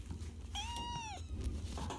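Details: A single drawn-out meow from Archie the cat, rising slightly and then bending down at the close, about two-thirds of a second long, set against a constant low background hum.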